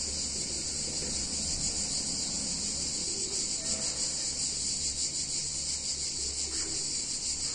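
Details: Cicadas singing on a hot summer day in a picturesque Italian town: a dense, continuous high buzzing drone with a faint pulsing shimmer, steady throughout, over a low background hum.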